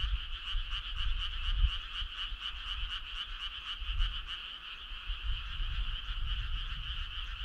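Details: Frogs heard on a summer night, with rhythmic rapid croaks pulsing several times a second above a continuous trilling chorus and soft low background noise.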